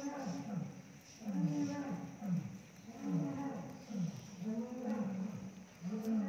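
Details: A captive Bengal tiger (Panthera tigris tigris) at Nandankanan Zoological Park, Odisha, India, gives deep, throaty moaning calls in short bursts about every second.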